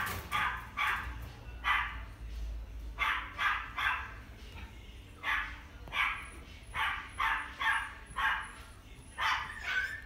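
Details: Pomeranian × Chihuahua mixed-breed dog at a pet shop in Hekinan gives short, sharp yapping barks, singly and in quick pairs and triplets, about fourteen over ten seconds, with a faint thin high whistle tone later.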